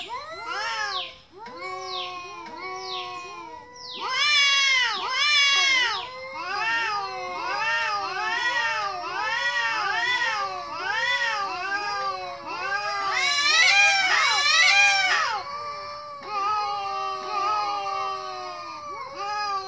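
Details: Many kitten meows overlap for almost twenty seconds: short rising-falling calls about once a second, with harsher, louder flurries around five and fourteen seconds. No other sounds.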